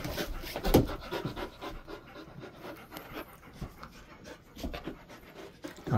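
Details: Golden Retriever relaxing in a cool room kept at 20 to 22 degrees, repeated breathy panting pulses, with a person's voice speaking nearby.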